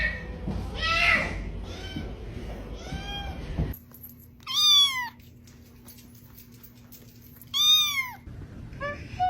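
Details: A domestic cat meows repeatedly indoors. Several rough, overlapping meows come first, then after a sudden cut two high, rising-falling meows sound a few seconds apart over a steady low hum, and a short meow ends it.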